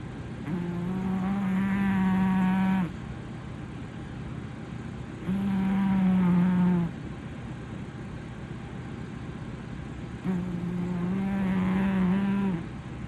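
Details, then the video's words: Loud snoring from Haruhi, a blue British Shorthair boy dozing on a sofa: three long, buzzy, rasping snores of about two and a half seconds each, coming roughly every five seconds, with quiet pauses and a faint low hum between. "When a Cat Snores Loudly | 小猫猫打起呼噜来惊天动地"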